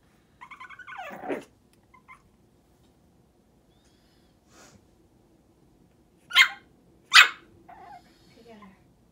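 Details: Shih Tzu x Maltese puppy, female, first morning home, demanding to get on the bed; a drawn-out whiny yelp opens, then two short sharp barks near the end, with a low steady hum underneath.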